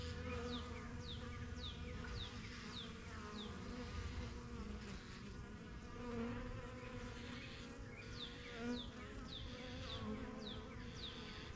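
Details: Busy honey bee hive in a backyard, the yellow box seen as the strongest colony. A constant droning buzz underlies repeated short, descending bird chirps heard throughout.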